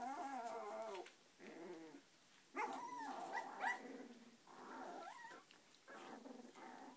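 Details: Eighteen-day-old Samoyed puppies taking their first steps, giving a run of squeaky whines and yelps in bursts about a second long, some rising and falling sharply, with brief pauses between.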